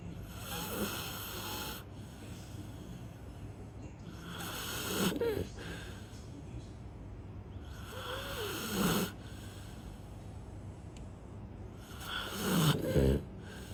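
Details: A sleeping golden retriever snores: deep, rasping breaths rise into a louder rattling snore roughly every four seconds, over a steady low hiss of room noise.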